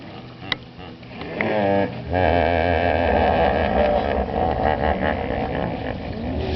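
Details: Hippopotamus calling in Chobe National Park, Botswana, July 2005: after a few faint knocks, a loud drawn-out series of throbbing, harmonic honks begins near two seconds and carries on rhythmically to the end.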